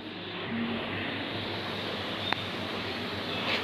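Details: Steady engine drone from a passing vehicle or aircraft outdoors, with one sharp click; no animal sounds.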